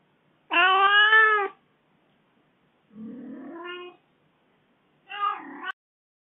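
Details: Aggrieved kitten that was left home for four days gives one loud, full meow. A softer, lower rising meow follows, then a short, strained cry.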